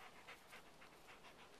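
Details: One of two adult female white Great Pyrenees mountain dogs in the north woods of Minnesota pants softly, quick breathy puffs about four times a second, in ferny woods near Horseshoe Lake where a loon calls.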